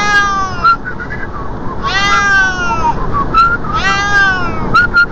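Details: A Siamese cat riding in a car's passenger seat gives long, drawn-out meows, each rising then falling, over a low engine rumble.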